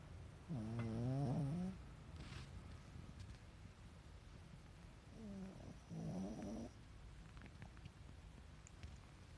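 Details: A sleeping Pekingese snores with its eyes rolled back to the whites. There are two raspy, wavering snores with a buzzing, pulsing tone, one near the first second and another around six seconds, over a low indoor hum.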